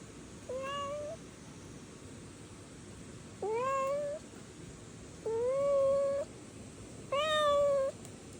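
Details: Stray kitten calling with four thin, rising, high-pitched meows spaced about two seconds apart, each slightly drawn out, over steady faint background hiss.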